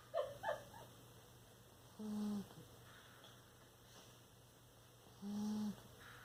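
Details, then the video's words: Low, quiet snores from a sleeping Bulldog, two steady tonal breaths a few seconds apart, preceded by brief faint squeaks in a still indoor room. "Bulldog snoring"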